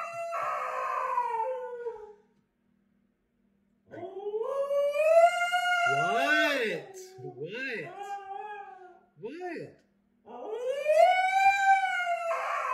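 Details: Female Husky complaining loudly to her owner indoors; a falling moan, then rising and wobbling howls with yodel-like bends, a man's voice talking over part of it, and a final rising, arched howl.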